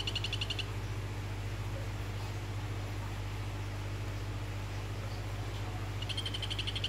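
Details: Phyllobates vittatus, orange form, calling toward a female. The pulsed, high-pitched trill is cut short at the start and returns near the end, with a quiet gap between. A constant low electrical hum sits beneath.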